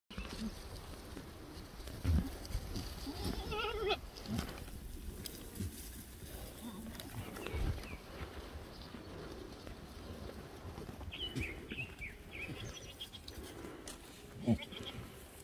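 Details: Black goats on Sunny's Black Goat Farm in Gimhae, South Korea: a wavering, harmonic bleat near the fourth second, with thin higher calls later, occasional thumps and a quiet rural backdrop.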